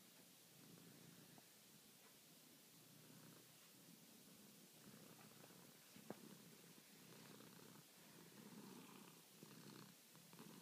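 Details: Domestic cat purring at night while kneading and asking to be petted: a steady low rumbling purr in pulsing breaths, with soft rustling and broadband background hiss.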